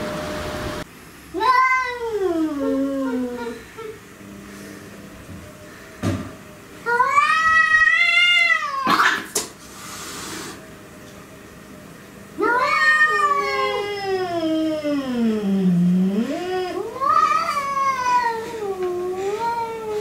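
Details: Cats squaring off against an intruder cat indoors, several drawn-out moaning yowls that swoop down and up in pitch, with brief bumps and knocks between the calls.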